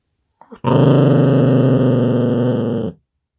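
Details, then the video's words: A pet dog warns it is not happy with one steady, rough, low growl lasting about two seconds, preceded by a couple of brief soft sounds. "# 2 Grognements"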